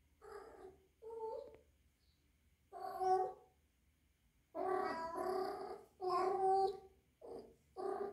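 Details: Young rescued female kitten, three months old, kept indoors and suspected to be in heat, gives loud, uneven wailing meows, some short and some stretched over a second, in irregular bursts.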